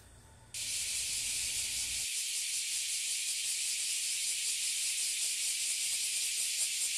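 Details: Oily and Bear cicadas (Abura Zemi and Kuma Zemi) massed in one tree in Toyohashi City, Japan, where they emerge yearly. A deafening, dense high hiss bursts in after half a second and holds steady, while a faint low rumble fades out.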